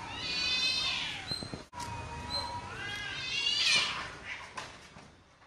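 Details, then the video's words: Street cat fight in Chennai between two cats: loud harsh caterwauling with strained, wavering howls, a short break, then a shrill rising screech and hissing bursts near the end. "Cat fight on the street"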